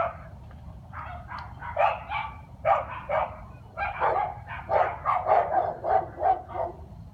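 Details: A dog barks at night on 13 February 2016, in quick bursts of sharp, rough yaps coming roughly every half second.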